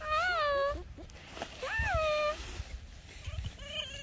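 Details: Captive fox chatting as it is scratched, giving two loud arched whining calls, each under a second long, that rise then fall. A softer, wavering call follows, with light handling noise between them.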